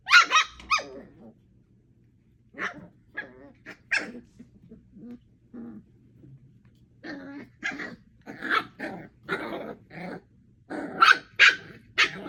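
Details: Eight-week-old puppies Thumper, Coco, Aurora and Elvira wrestle in play: a squealing yelp opens, then a pause, then sporadic short yaps building to a fast volley of sharp barks and raspy growls near the end.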